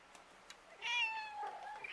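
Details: Street cat filmed outdoors, giving one clear meow: a tonal, slightly wavering cry that holds level then slides down over about a second, with a short higher whine at the end; quiet background otherwise.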